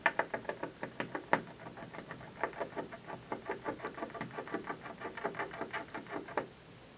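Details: A squirrel on a windowsill chews the office building one afternoon, producing dense, rapid rasping clicks that run evenly for several seconds before stopping abruptly, leaving quiet room tone.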